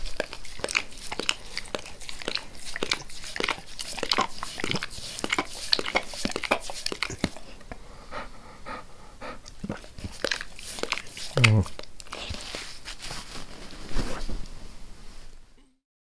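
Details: Max, a pet dog, eagerly licking his owner's face in a small room: rapid wet smacking and slurping clicks, dense for the first seven seconds, then sparser and softer, with a brief low grunt near eleven seconds before silence.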